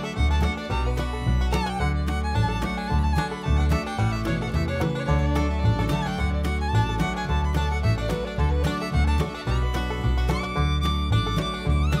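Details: Lively bluegrass-style fiddle tune with guitar accompaniment plays throughout, steady and rhythmic, with no animal sounds present.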